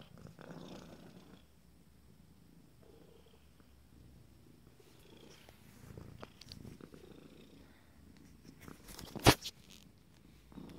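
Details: Low, quiet purring from Abyssinian kittens aged 26 days, first litter, rising and fading in soft pulses, with occasional rustling and one sharp loud click or knock near the end.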